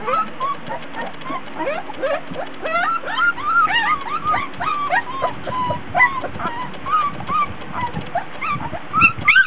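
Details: Several 24-day-old Border Collie puppies, hot and tired, fuss and whine during a play session with toys in a whelping box indoors; many short, high squeaky whimpers, rising and falling, overlapping rapidly, with soft rustling below.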